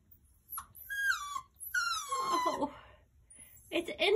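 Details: A 9-week-old Miniature Schnauzer puppy, recently home from the breeder, demands indoors to take his toy squirrel outside. He gives a few high, drawn-out whining cries that slide downward, and a woman talks to him between and after them.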